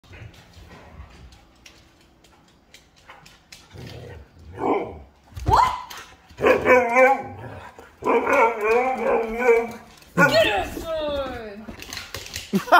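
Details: Siberian husky refusing, answering back with drawn-out, wavering howl-like yowls and talking whines that rise and fall, growing louder in long bursts toward the end, with a person laughing.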